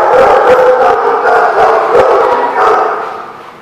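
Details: Dogs at The Barking Lot, recorded 12/05/16, barking continuously in a loud overlapping chorus, several animals calling at once with rapid, irregular barks and no pauses.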